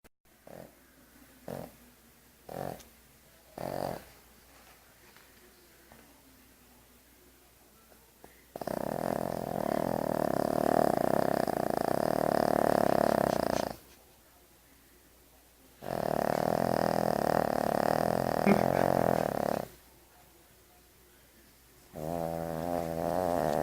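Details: A Shih Tzu snores with long, rasping, rattling breaths that come in slow bouts several seconds long; recorded 26/05/2013.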